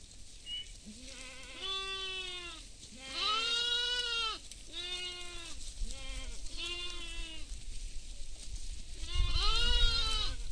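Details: Goats feeding in a field alongside sheep give a run of wavering, harmonic-rich bleats, several overlapping from more than one animal, some low and drawn out, others higher and shorter, over a soft outdoor rumble.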